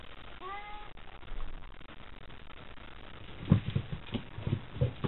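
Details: Cats Chataro and Kochataro battling with tails puffed up, Shirosho scampering around them during a nightly cat gathering; one short rising-then-falling harmonic meow near the start, followed by soft thumps and scuffling.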